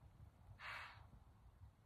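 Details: A deer hisses at a person sitting in the dark on a cold night in rural Central New York, one quick, airy, forceful exhale of about half a second, over a low rumble of wind or distant traffic.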